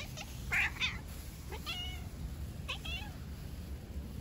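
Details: Stray cats living outdoors, an aggressive ginger male attacking a tricolor female: three harmonic meows, two loud rising-falling cries close together, then a wavering wail and a shorter call, over a steady low background hum.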